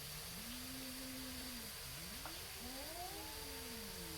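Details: Neighborhood cat, possibly a tabby, facing off with another before a fight: a low steady moan that dips, then climbs into a higher drawn-out wail, partly buried in broadband background noise.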